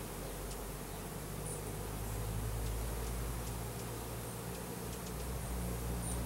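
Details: Package of Russian/Carniolan hybrid honey bees, about 10,000 workers with one queen, being installed into a new hive in April 2012; a steady, low droning hum of many bees throughout, with faint high chirps above.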